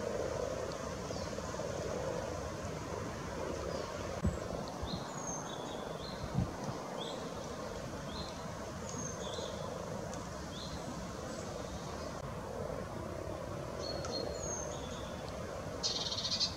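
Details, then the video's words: Spawning frogs at Luolavuori, Turku, keep up a steady low purring chorus from many animals, while short high bird chirps and whistles break in now and then, with brief rustling knocks. "Spawning frogs"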